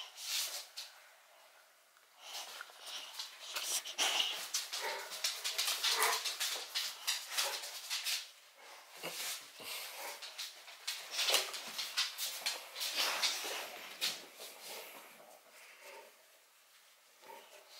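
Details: Boxer Rex, a Swedish male born in 2015 living outside Landskrona in southern Sweden, plays indoors with Bullmastiff Baloo over a stick; rough, breathy huffs and scuffling bursts come in quick irregular runs, with a woman's voice urging them on.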